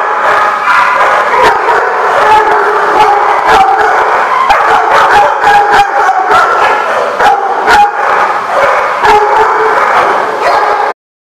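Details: Many dogs at The Barking Lot, recorded July 3, 2015, bark and yip at once in a dense, nonstop chorus. Sharp overlapping barks repeat throughout before the sound cuts off abruptly near the end.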